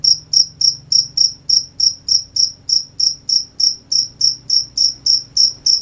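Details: Night crickets chirping in a quiet setting: short, bright, high-pitched pulses repeat evenly at roughly three and a half per second, with nothing else standing out.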